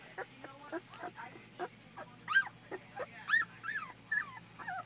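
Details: Two-week-old puppies born July 15th, a litter from Paris and Dutch, giving high squeaky whimpers and squeals, short rising-falling cries repeated about once a second, some louder and bending upward, over a low steady hum.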